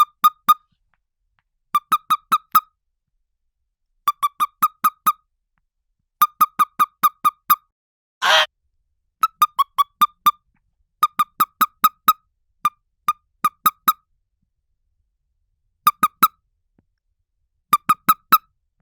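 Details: A scolding toad, captured for a noise library, gives repeated bursts of short, sharp, chirping squeaks, mostly four to six per burst every second or two, with one brief hissing puff midway; otherwise silent background.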